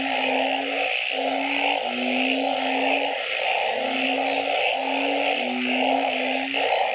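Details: Frogs at night: long, flat low notes, some overlapping, sound beneath loud mid-pitched bursts that break off and resume, all over a continuous high hiss.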